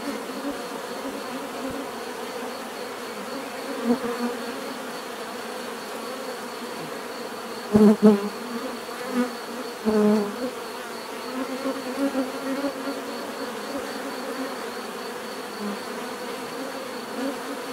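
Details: Bees buzzing in a steady, droning hum with layered tones, a few louder close passes around eight and ten seconds as individuals fly near.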